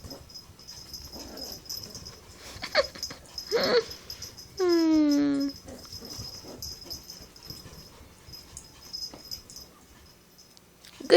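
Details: Adult female Chihuahua playing with a new beagle puppy indoors: a drawn-out, high wavering whine-growl lasting about a second, a few short yips before it, a steady high electronic hiss, and a man praising the dogs.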